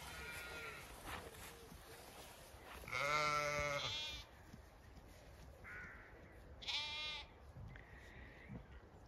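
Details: Bleating from Zwartbles ewes and lambs on an orchard walk in the evening sun, County Kilkenny, Ireland; a strong, wavering bleat lasting over a second, a shorter high bleat later, and distant softer calls throughout.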